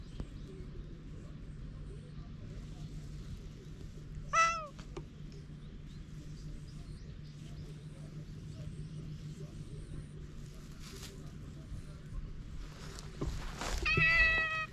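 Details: Stray cats on a Japanese cat island, moments before fighting, captured with a GoPro HERO8: a brief quavering meow, then a longer drawn-out one near the end, amid steady low hum and scattered clicks.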